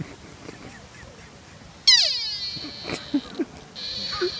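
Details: Lone sika deer in Nara, Japan, giving a sudden loud scream: a harsh, tonal cry with many stacked harmonics that slides downward, then a sustained high shriek, with people's voices and laughter-like sounds around it.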